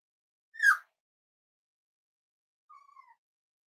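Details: A Cavalier King Charles Spaniel puppy almost eight weeks old, in a family home, lets out one sharp, bright yelp. After a pause comes a soft, thin whine that slides gently downward. The room is otherwise silent.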